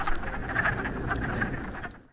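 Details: A group of wood frogs in a breeding chorus at a woodland pool in spring give low, clucking croaks that overlap like distant quacking ducks.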